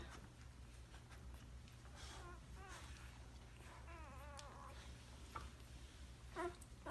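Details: Newborn puppies from Tilly and Dawson's litter give thin, wavering high squeaks in two short bursts, the second a trembling rising-falling whine, over a steady low hum indoors with quiet human movement.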